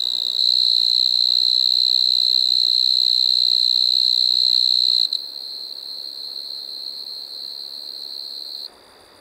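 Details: High, steady trill of a striped marsh-cricket at Maggia, Switzerland, 1 September 2023, loud for about five seconds, then continuing noticeably softer at the same pitch before cutting off near the end.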